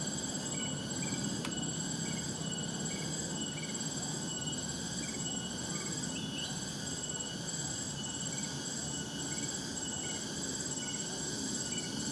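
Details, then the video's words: Cicadas in the wild with birds nearby: an unbroken, shrill, ringing buzz of several steady high tones, with brief chirps recurring at intervals, one sharp click, and a low, constant background rumble. "Suara "Tonggeret" dan Suara Burung di Alam Liar nu matak Waas"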